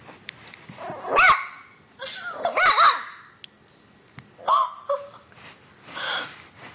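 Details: Two-month-old Chihuahua puppy giving its first barks while attacking its owner's foot: short, high, yelping barks in about four separate bursts, with scuffling and tapping noises between them.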